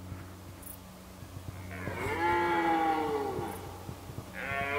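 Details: A red deer stag gives a long, deep, harmonic roar during the 2019 rut, then begins another.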